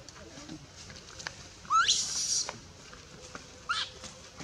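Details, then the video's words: Baby monkey crying while its mother pushes it away and refuses it milk, in the Bayon area; two sharp, high screeching cries, the first longer and rising, the second brief, over faint background chatter. "Super sad baby monkey is crying when her mom is try pushing her out for reject milk"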